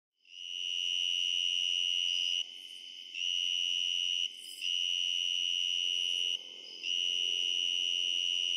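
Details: At night in mid/late summer to fall in eastern Pennsylvania, a tree cricket sings up close, a loud, steady, pure-toned trill broken only by a few brief pauses.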